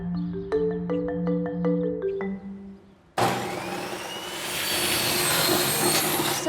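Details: A short mallet-percussion jingle plays, then cuts to a broad rushing noise like wind or traffic, with no animal voice.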